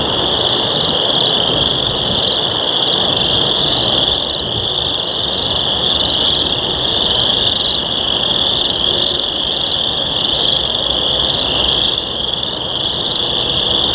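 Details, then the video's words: A dense chorus of chorus frogs in a wetland gives high, rapid trilled mating calls on a warm spring day after heavy rain, merging into one steady, ringing wall of sound. "Chorus Frogs"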